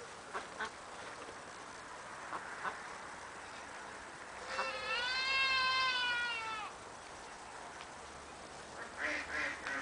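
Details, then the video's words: Cameroon goats: a single drawn-out, wavering bleat of about two seconds stands out mid-recording. Faint short noises come before and after it against a quiet background hiss. "Kozy kamerunské"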